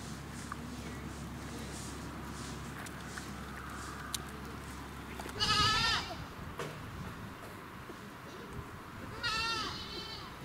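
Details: Young goats at a highland farm in Bandai Kogen, Japan, during a visit to handle and pet the kids; two short, quavering bleats several seconds apart over a low background hum and faint clicks.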